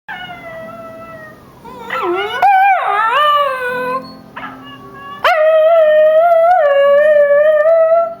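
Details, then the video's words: Miniature schnauzer howling indoors: a series of long, tonal, wavering howls with rich overtones, some sliding up and down in pitch, broken by short gaps, the loudest sustained howl at the end. "(miniature schnauzer) howling!!"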